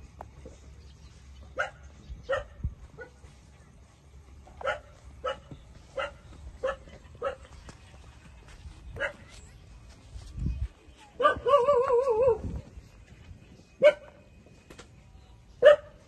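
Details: Puppies, 27 days old, suckling milk from their mother; short scattered yips sound every second or so, and one longer wavering whine runs for about a second near the end, over a low background hum.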